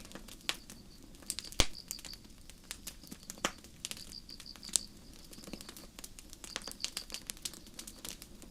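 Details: Night-time crickets in a forest under the stars: quick runs of shrill pulsed chirps in groups, clearest midway and near the end, mixed with crackling campfire pops and a low rumble.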